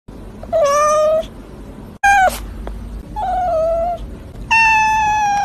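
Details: Cats meowing: four long, drawn-out, steady-pitched meows about a second each, one brief sharp cry, with short quiet gaps between calls.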